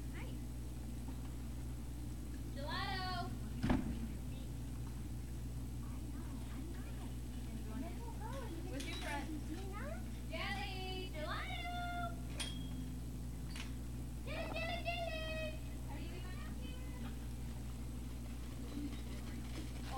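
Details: Great Dane puppies at Puppy Hill on 03-05-2019, evening: a scattered series of high, thin, falling whines and squeaks, some in quick runs of several notes, above a steady low hum and faint background rumble.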